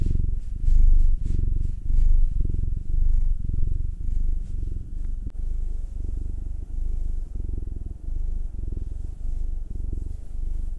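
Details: Massaged house cats, nine-year-old black tom Will and two-year-old Munchkin female Anzu, purring; deep buzzing rumble pulsing in even breaths about once per second, with a single soft tap partway through.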